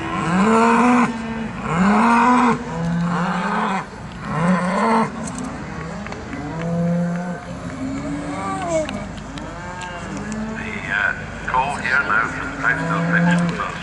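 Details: Several Charolais cattle mooing at the Perth agricultural show, Perthshire, Scotland, with repeated deep, arching moos about every second or two, overlapping at times, over general showground chatter and noise.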